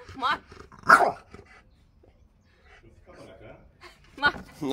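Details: French Bulldog arguing with his owner over his chair: short harmonic yowling barks open, a louder strained bark follows near one second, a quiet murmuring lull, then another sharp bark near the end, with a human voice mixed in.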